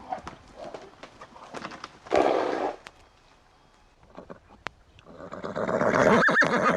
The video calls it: sound of horses, звук лошади